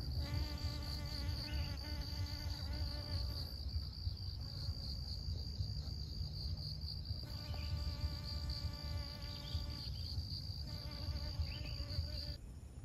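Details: Honey bee visiting flowers to pollinate them in Siosar, Karo, North Sumatra, Indonesia; a rich, low humming buzz comes and goes in several passes, with a constant thin high whine and low rumble underneath.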